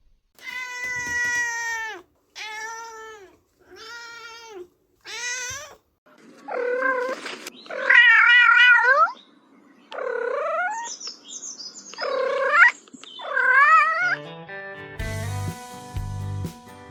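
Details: Domestic cat meowing, given as an example of how a cat speaks: a run of drawn-out, arching harmonic meows of varied length, some wavering, separated by short pauses, with music coming in near the end.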